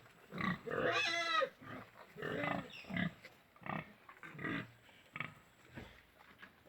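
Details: Pigs at a farm in Golaghat: an opening high, wavering squeal followed by rapid rough grunts and snorts repeated several times a second, fading into softer grunting.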